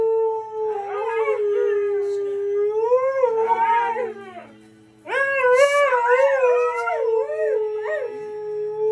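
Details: Two Siberian Huskies howling along to the song Nights in White Satin, their long wavering tones sliding up and down in two overlapping voices, with a short pause midway before the howling resumes over quiet music.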